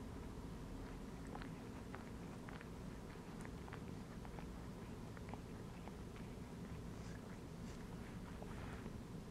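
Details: Domestic cat resting and chilling while lying inside a gym belt indoors, purring: a steady low rumbling drone throughout, with scattered soft clicks and rustling taps over it.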